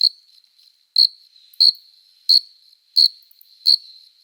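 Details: Male cricket singing at night in summer, stridulating with its forewings in courtship: six sharp, piercing chirps roughly every two-thirds of a second, linked by a thin steady trill, in otherwise quiet surroundings.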